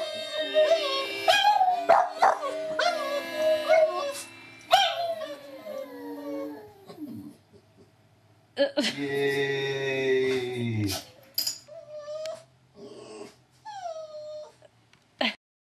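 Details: A female Boston Terrier that normally never barks or howls howls in long, wavering, sliding tones, joining in with videos of other dogs howling.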